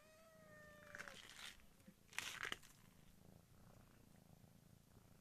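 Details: Kitten in a village giving a thin, drawn-out meow that slides slightly downward, followed by a couple of short squeaky bursts and handling noise, over a soft low purr.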